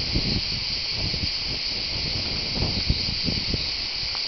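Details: Cicadas at the Tour de l'Hers, Châteauneuf-du-Pape, Vaucluse, France, recorded live: a constant, steady buzzing wash, overlaid by soft low rustles and small thuds.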